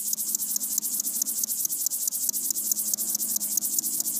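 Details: Bow-winged grasshopper (Chorthippus biguttulus) song: a steady run of dry, hissing, high-pitched stridulated chirps.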